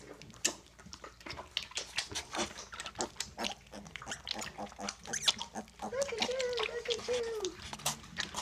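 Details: Piglets drinking goat's milk from a dish as a snack: rapid wet lapping and slurping clicks with soft snorts and grunts, and a brief wavering higher-pitched tone near the end.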